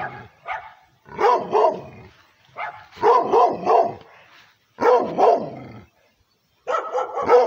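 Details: Female pit bull and Redbone Coonhound mix, aggressive toward the camera, giving loud harsh barks in bursts of two or three, with brief silent gaps between the bursts.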